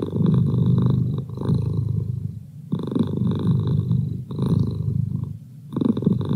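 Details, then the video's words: Low continuous purring from Merlin, a domestic cat, rumbling in rhythmic waves that rise and soften with each breath about every one and a half seconds, a short near-silent pause breaking the sequence. "Cat Purr"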